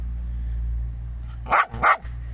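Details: Jack Russell Terrier outdoors in a vegetable garden: two sharp, loud barks about a third of a second apart, over a steady low hum, while a woman speaks Latvian nearby.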